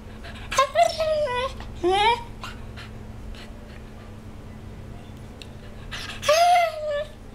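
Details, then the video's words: Olly, a pet dog known for 'talking', realistic baby sounds and Lassie impressions, indoors: wavering, moaning whines in short bursts that slide up and down in pitch, a few drawn-out wails separated by quiet pauses. "Olly the Talking Dog!"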